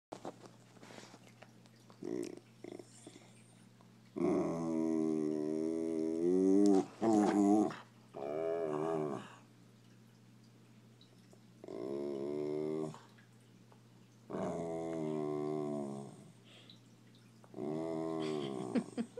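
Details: Dog indoors making drawn-out, revving growl-like vocalizations that sound like a scooter engine. There are about six buzzy bursts of one to three seconds, rising and falling in pitch, over a steady low electrical hum.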